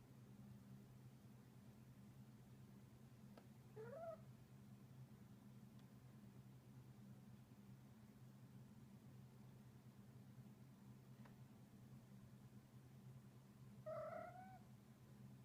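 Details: Loki, a male Munchkin cat, trilling while he plays indoors; two short rising chirrupy trills about ten seconds apart, near the fourth and fourteenth seconds, over a steady low hum.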